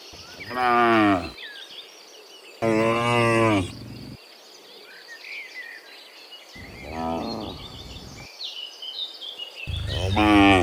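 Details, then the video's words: Cows heading home from the fields to their pen in the afternoon, a herd of dozens; two loud drawn-out moos, then a quieter one and another starting at the end, over twittering birds. "Sound Dozens of Moo Cows Walking Home from the Fields to the Pen in the Afternoon, Sound of Cows"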